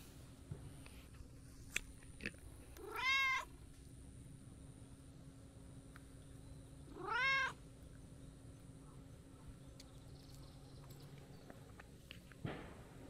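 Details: Friendly brown-tabby-and-white stray cat that had been napping in tree shade approaches to play, giving two clear, arched, harmonic-rich meows about four seconds apart against quiet outdoor background with faint clicks.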